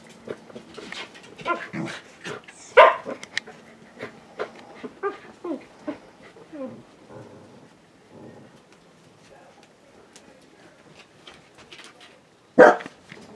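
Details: Corgi having fun, giving an irregular run of short yips, whines and grumbling vocal sounds, with two sharp, loud barks, one near three seconds and one close to the end, and quieter murmurs between.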